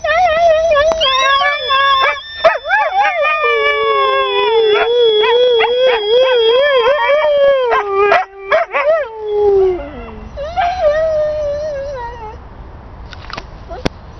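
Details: Pet Siberian Husky howls in a long wavering line with rising overtones, the pitch sinking gradually over eight seconds, then a descending whine, scattered yips and quieter background sounds toward the end.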